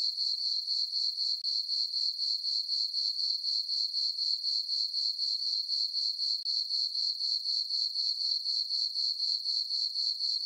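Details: Summer night on a farm meadow under a full moon, crickets giving an even, shrill pulsing chirp about four beats a second, nothing else audible.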